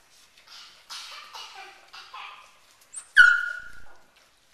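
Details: Gordon Setter puppies giving a run of soft, short whimpers, then one sharp, loud yelp that drops and trails off after about three seconds.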